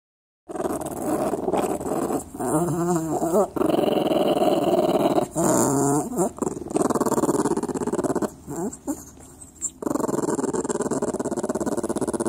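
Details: A dog indoors, growling and grumbling in long, wavering, throaty phrases with rising and falling whine-like tones, broken by brief pauses; the growls swell and fade repeatedly over about eleven seconds.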